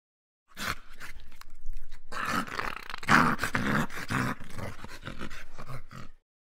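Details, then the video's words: Stray dog, hungry and without a home, pleading for help with continuous growling moans that rise and fall over about five seconds, overlaid with clicking and scuffing noises. "hungry stray Dog calling me for help! Homeless Dog asking for help!"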